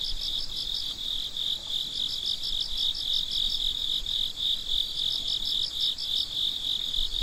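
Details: Midnight cricket chorus: constant high-pitched ringing trill overlaid by rhythmic pulsed chirps in runs, pausing briefly, then resuming, several insects calling together.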